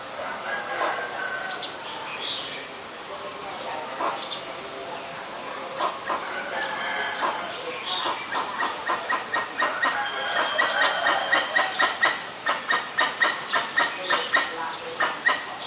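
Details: Pallas's squirrel in Ubon Ratchathani, Thailand, 1 January 2023, calling at danger, recorded on a Nikon P1000. Softer chatter and other birds' whistles give way to sharp, harsh chucks repeated about twice a second.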